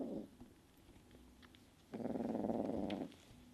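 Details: Sunshine the kitten, moody and attacking the household's other cats, makes a brief growl tail, then after a quiet gap a loud one-second throbbing growl with rapid pulsing beats.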